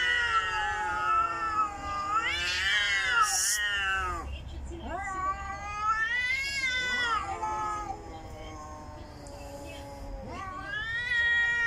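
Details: Female house cat, upset by another cat, utters a series of long moaning yowls that rise and fall, pausing briefly between wails; a woman speaks Filipino, trying to calm her.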